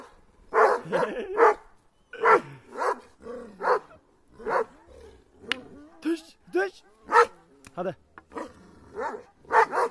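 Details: Kangal dogs attacking, barking in a rapid irregular series of loud harsh barks roughly every half second, with tonal whines in between and some human voices in the background.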